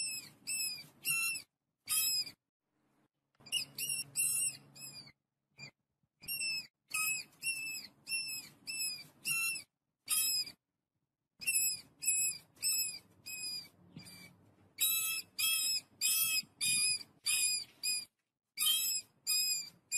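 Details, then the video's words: Family of rats feeding on wheat, giving rapid bursts of high, thin, harmonic squeaks with downward-hooked ends, repeated almost continuously in clustered runs with brief silent gaps; faint low rumbling underneath. "Family of rats eat wheat, the call of the flock of mice"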